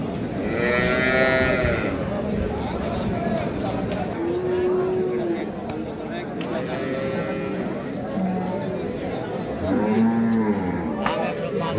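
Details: Improved-breed dairy cows with calves at Ambari livestock market, Parbatipur, Dinajpur, on 28 April 2025: several drawn-out, arching moos, some long and low, one higher and rising-falling near the end, over steady crowd chatter and market bustle.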